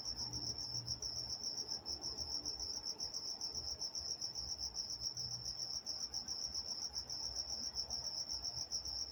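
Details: Crickets at night in Walnut, California: a steady, high-pitched pulsing trill repeating rapidly without pause, several insects blending into one continuous ringing band, with a faint low hum in the background.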